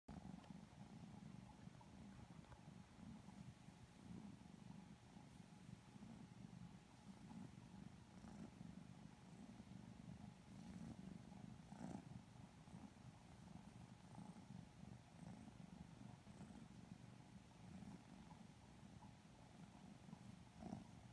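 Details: Two Lilac Modern Lynx Balinese kittens purring sleepily while being petted and cuddled; a steady low rumbling purr runs throughout with faint rustling and soft clicks of handling.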